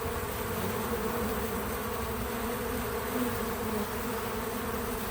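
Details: Natural sound of bees working at a feeder: an even, unbroken buzzing hum with a faint louder pass around the middle and no narration or music.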